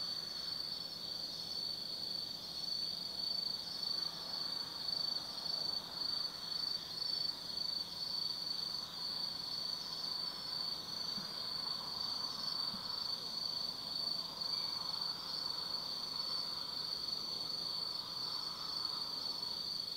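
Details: Night chorus of autumn insects at Tsukimi no Mori in Kaizu, Gifu Prefecture, Japan, overlooking the Nobi Plain: unbroken shrill ringing trills layered together, with a soft distant hum and a few faint lower chirps.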